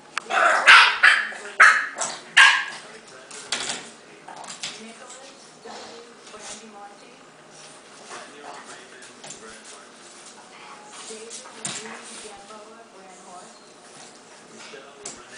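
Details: Gus, a bulldog pup, lets out a quick run of loud, high yapping barks in the first few seconds, then softer scattered yips and grumbles as people talk nearby.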